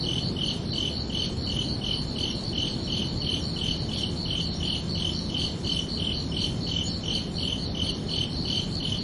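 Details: Night-time cricket chorus on a summer evening: evenly spaced high chirps repeat roughly twice a second without pause, layered over a broad, steady low-pitched rushing noise.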